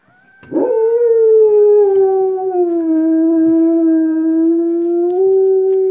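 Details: Cujo, a dog, howls in answer to coyotes: one long sustained tone that slides gently downward, holds steady, then steps up near the end, with clear overtones stacked above.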